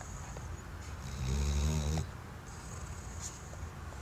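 A sleeping Weimaraner lets out a low, rattling snore, a rough, pulsing rumble on the in-breath. Faint hiss and room noise fill the quiet on either side.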